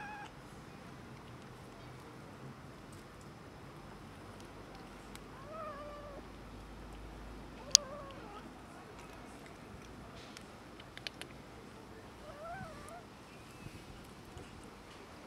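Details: Cats and a kitten quarrelling over food; a few faint, wavering meows around the middle and again near the end, low against a steady outdoor background hiss with occasional clicks and taps.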